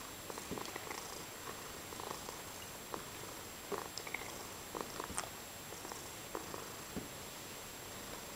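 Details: Domestic cat Mysli in a small room, purring while chattering at the same time; continuous low rumble overlaid with quick scattered ticking chatter notes, several brief louder clicks across the stretch.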